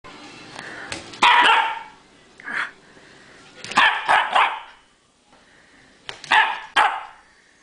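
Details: Chinook, a dog, jumping around playfully and barking: short bursts of loud barks in three clusters, some doubled, with quiet gaps between them.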